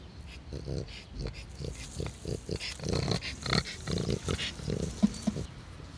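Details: Elderly French Bulldog Taro, aged 12, on a walk on 15 July 2016, giving low, rhythmic pig-like grunting snorts several times a second, steady throughout with faint outdoor noise behind.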